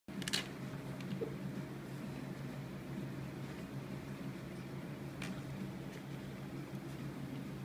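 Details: Steady low fan hum fills a small indoor room, broken by a few sharp clicks near the start and around five seconds; no animal voice is heard.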